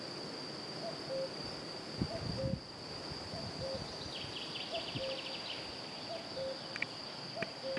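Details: Several European fire-bellied toads (Bombina bombina) in Romania give soft, mellow 'oop' calls, overlapping at slightly different pitches, over a steady high insect whine and a brief chirping trill.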